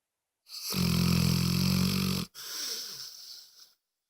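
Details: Moses, a pet dog described as snoring louder than anyone, gives a loud, rattling, low harmonic snore on the in-breath lasting nearly two seconds, followed by a softer, breathy, rasping exhale.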